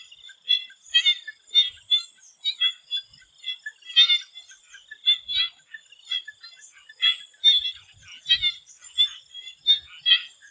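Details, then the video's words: Frogs in a swamp near sunset produce short rattly croak bursts, spaced irregularly about every half second to second, layered over a steady high insect whine. "The Relaxing sound of swamp frogs and nature sound"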